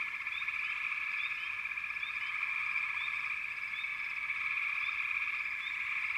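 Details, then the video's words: Frog chorus as a dense, unbroken wall of high trilling, layered in steady bands, with short rising chirps popping out above it every half second or so. "FROGS - Pig Frogs, Water Frogs, Backwater Chorus, & Frog Chorus"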